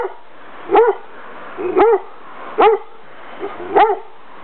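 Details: English Setter twins Darcy and Bentley barking in Bath, in the garden on the morning of 29 October 2006: four short, rising-then-falling barks with strong harmonics, roughly one each second, over a quiet background.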